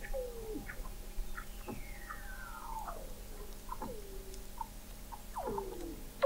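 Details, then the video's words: Weddell seals recorded in November 2017 by the McMurdo Oceanographic Observatory, 21 m below sea ice in McMurdo Sound, Antarctica: long descending whistles and sweeping glides overlap with short chirps, several callers layered over a steady low hum. "Song of the Antarctic Weddell Seal"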